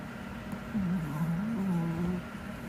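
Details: One of two small indoor male dogs snoring, either Hodu the Chihuahua or Sugar the Pomeranian; a low nasal drone of about one and a half seconds, wavering and dipping in pitch, over steady background hum.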